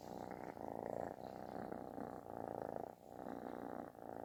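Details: A loud, snore-like purr from an affectionate kitten, rumbling steadily in long breath cycles with brief dips between them.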